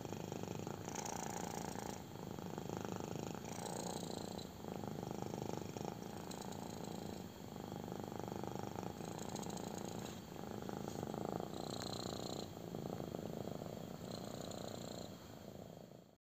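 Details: A kitten loves its belly rub and purrs hard: a rough low rumble rising and falling with each breath, phrases of roughly one to two seconds, plus light scratchy rubbing sounds in a quiet room.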